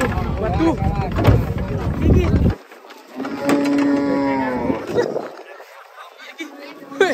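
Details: Giant, fat cattle give a single drawn-out, tonal moo lasting about a second and a half, after loud chatter and speech at the start. Background music plays softly below.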